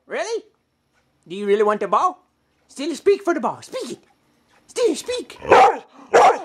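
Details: A female pet dog complaining that her sister has the ball, giving a short yelp, then drawn-out, bending, howl-like moans and rough grumbles in separate bursts with silent gaps.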